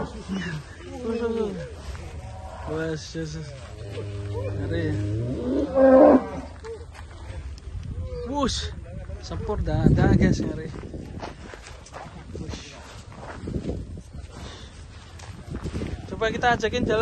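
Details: Huge, fat cattle shown at a cattle attraction: a long, low, steady moo lasts about two seconds in the middle, surrounded by people talking and laughing, with handling noise and further chatter afterwards.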